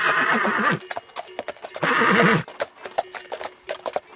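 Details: Horses from a galloping herd: two strong, wavering whinnies with a buzzy, shaking quality, separated and followed by rapid hoofbeats clattering on the ground.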